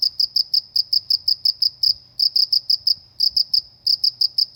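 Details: Crickets in the countryside, heard as a calm, relaxing rural scene: high, thin chirps made of quick pulses in rapid bursts, each group lasting about a second with short pauses between, over a faint low hum.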